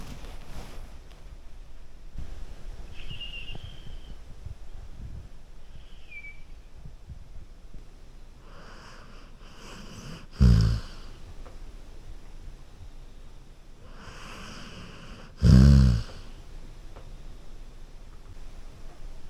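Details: Golden Retriever sleeping on a couch; two short, low snorting snores about five seconds apart break a long stretch of soft, quiet breathing, with a faint high squeak early on.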